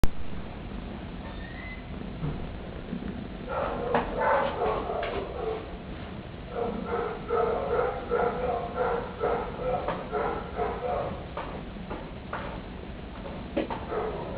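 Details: Kitten seeking attention, calling with rapid, high, harmonic mews in uneven bursts, starting quietly and then running almost continuously for about ten seconds, several calls per second.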